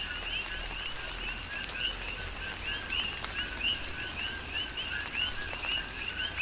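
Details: A chorus of coqui frogs on Hawaii's Big Island in tropical rain, with bright upswept whistled chirps from several frogs overlapping one another above a steady hiss of falling rain.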